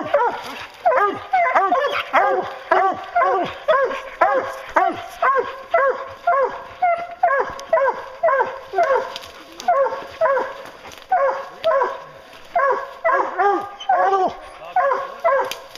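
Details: Bear-hunting hounds give tongue together: rapid, overlapping bawls and barks from several dogs, nearly two per second, rolling on without pause.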